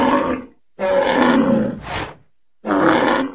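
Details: A bull in nature gives three harsh, roaring bellows, each under a second long, separated by abrupt silent gaps; rich, coarse tone with no other sounds.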